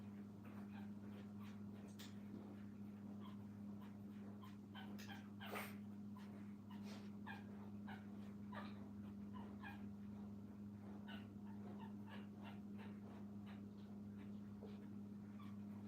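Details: A litter of puppies with their mom at a kennel keeps up a stream of faint squeaky whimpers and sharper yips, one louder cry near the middle, while a low mechanical hum runs underneath.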